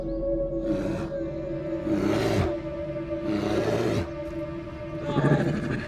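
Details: A male brown bear, the "swamp king" seeking a mate, gives deep, rasping roars and grunts while fighting an intruding rival male bear for dominance, over a sustained musical drone.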